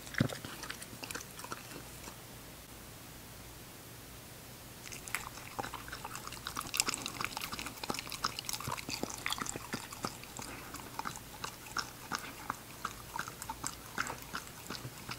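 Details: Female English Cocker Spaniel puppy named Ginger at her meal. Near-quiet opening for about five seconds, then dense rapid crunching and clicking bites continue without pause to the end over a low steady hum.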